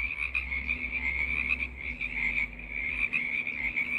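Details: Frog choir offered as relief from snow and bad weather: a dense, continuous high trilling chorus of many frogs blending into a steady shimmering band, with a faint low hum underneath.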